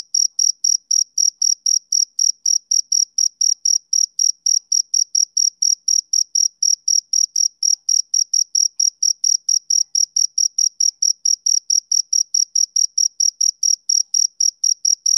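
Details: Male cricket keeping up a continuous train of high, piercing chirps, close to four per second for fifteen seconds, clean and without background noise.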